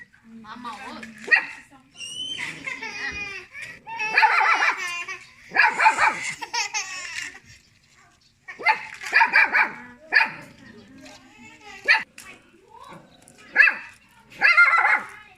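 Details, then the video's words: Small pet dog barking at people, giving repeated sharp high barks and yips in bursts every second or two, mixed with human talking and laughter throughout. "Little dog barking at people"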